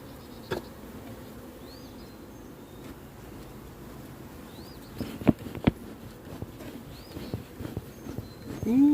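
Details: Honey bees of a large hive buzzing during a beekeeper's hive inspection with drone brood, a steady low droning hum throughout, broken by a few sharp knocks of handling and a rising scrape at the end, with faint chirps above.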